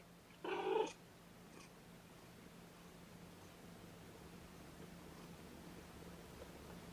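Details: Kitten, one of Mama Seraphina's litter of four, protesting at being pottied before a weigh-in indoors: a single short, high mew with stacked harmonics lasting about half a second, followed by a low steady room hum.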